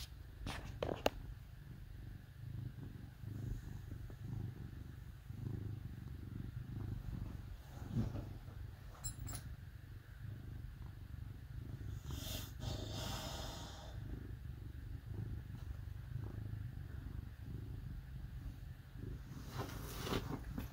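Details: Purring house cat snuggling with dogs on a cold winter day in Minnesota: a low, even rumble running throughout, broken by a few clicks, some rustling and a short stretch of human speech midway.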